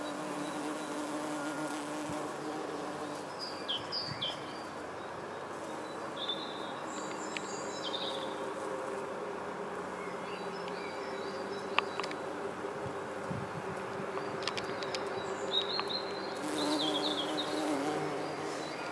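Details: Red-tailed bumblebee (Bombus lapidarius) flying among yellow Berberis darwinii flowers, feeding on nectar and gathering pollen; a steady low droning hum with layered overtones, swelling and fading as it moves, while small birds chirp faintly in the background.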